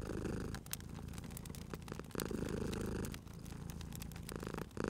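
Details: Purring cat near a fireplace: a loud, low-pitched rumble that cuts off and resumes with each breath, with fire crackles and sharp wood pops throughout.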